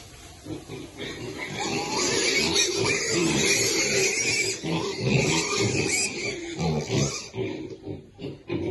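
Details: Piglets feeding together, making a dense, continuous mix of overlapping grunts and squeals that swells and fades over a steady background of snuffling and rustling.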